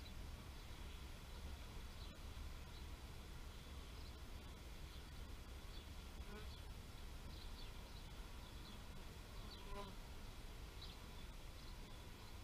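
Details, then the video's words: Continuous low bee drone, even and unbroken, overlaid by soft, scattered high-pitched chirps at irregular intervals. "Bee therapy meditation nature sounds"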